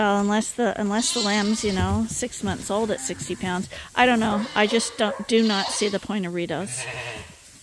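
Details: Lambs nursing from their mothers but bottle-fed twice a day at Ewetopia Farms bleat almost without pause. Their cries are quavering and overlapping, some rising sharply in pitch.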